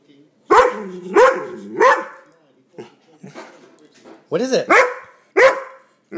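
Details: Dog reacting to a hated air pump: loud, pitched barks in two bursts of three, each yelp bending upward, separated by a lull with soft human voice.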